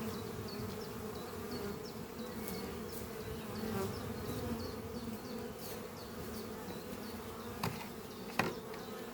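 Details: Steady wing hum from a busy colony of honey bees flying at their hive under trees on a spring morning, with a bird's rapid repeated high chirps and a few close passing bees buzzing louder.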